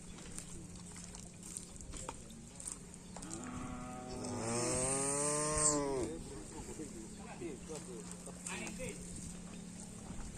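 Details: Karapan racing bull during a training session at the Asemanis field: a loud, arching, harmonic-rich moo lasting about two seconds, with people talking and crowd noise before and after.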